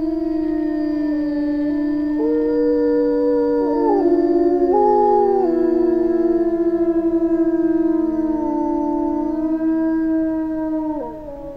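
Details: A small pack of Eurasian wolves (Canis lupus lupus) in the Finnish taiga howl together, their long smooth tones sliding up and down and overlapping in a chorus.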